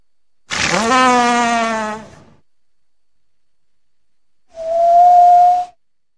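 A walrus gives a long, harsh, slightly falling bellow, then a steady, clear whistle-like note.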